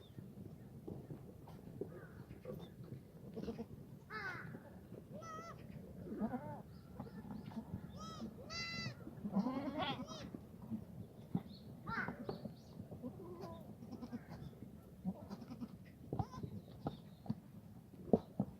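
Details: Herd of black goats in a farm exercise yard in Gimhae, South Korea, on a foggy Friday morning, 29 March 2019; many overlapping bleats of varied pitch rise and fall through the recording amid constant low rumble and knocking.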